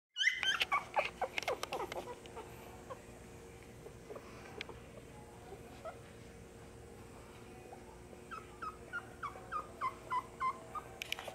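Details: A litter of eight Beagle puppies gives high, squeaky whines and yelps in quick bursts over a steady hum, at a pet shop in Nara.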